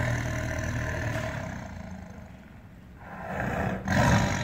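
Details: Tiger giving a long, continuous, gravelly roar that dips in loudness midway, then surges again, ending in a harsh louder burst.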